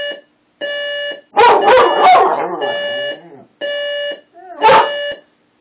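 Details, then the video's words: Pet dog reacting to an alarm clock: loud, harsh, wavering barks and yelps in two bursts, the first lasting about two seconds. They alternate with the clock's steady, evenly spaced electronic beeps, which sound alone before, between and after the dog. "Our Dog Howling at the Alarm Clock"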